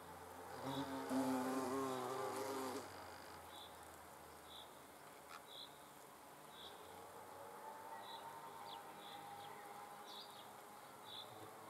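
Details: Hornet under observation: a loud, low humming buzz for about two seconds, followed by a long quieter stretch with soft regular ticking sounds.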